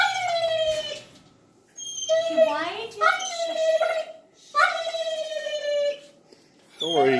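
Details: Pet dog wanting to play with another dog, making dolphin-like squeals: three bursts of high, wavering, rising-and-falling whines separated by short pauses, ending with a sharp upward squeak, indoors.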